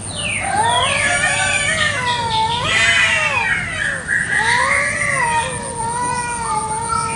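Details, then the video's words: Village cats fighting fiercely over territory in a garden in the morning, a village chicken nearby; continuous rising and falling wailing howls from overlapping cats, swelling into harsh louder yowls, with a constant high-pitched whine behind. "KUCING BERTENGKAR HEBAT BEREBUT WILAYAH"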